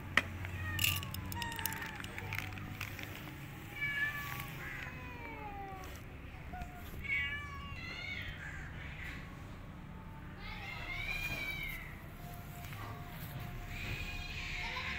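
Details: Feral cat Maya, looking weak after her miscarriage, with newborn kittens nearby: a series of harmonic meows, some rising then falling, others short and wavering, coming in bursts every few seconds over low background rumble and faint voices.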